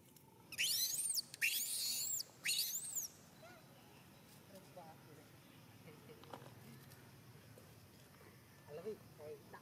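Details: A little baby monkey crying angrily at monkey Jane: three loud, shrill, high-pitched arching cries in quick succession in the first three seconds, then near quiet with a few faint soft chirps and light rustling.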